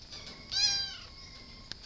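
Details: A single short, bright meow from a cat, rising slightly then fading, set against a steady high whine and faint room noise, with a small click near the end.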